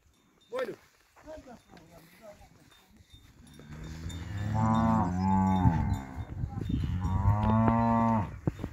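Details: Montafon cattle lowing: after a few seconds of scattered clatter and a short high squeak, two long, deep, harmonic-rich moos swell and fade, the second following shortly after the first.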